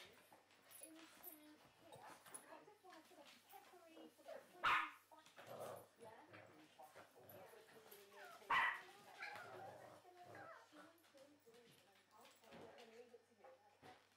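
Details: Two Shih Tzus, Jack and Pugsley, running riot on arrival in their new home; two sharp, loud barks about four seconds apart, with soft whines and yips between, over steady people's chatter.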